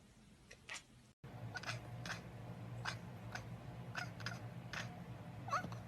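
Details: Kittens talking with brief high mewing calls, roughly one every half second, some slightly rising, over a steady low indoor hum.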